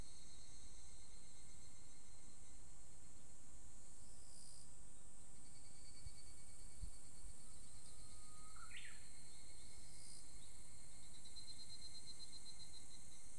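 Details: An evening cicada (higurashi) calls in high rippling pulsed bands just after the rainy season. A Japanese bush warbler, calling at the same time, adds a held low whistle ending in a sharp upward flourish late on.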